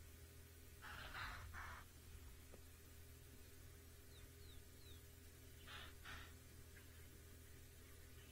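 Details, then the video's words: Impalas on an African savanna give sharp, breathy alarm snorts, a pair of bursts then another later, warning of a nearby leopard. "The impalas are still giving some alarm calls."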